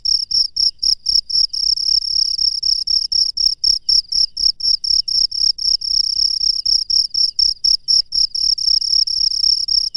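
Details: Wild cricket chirping at night, a high, steady pulsed trill broken into short bursts about four times a second, each burst evenly spaced and continuing without pause; faint low rumble beneath, no other animals.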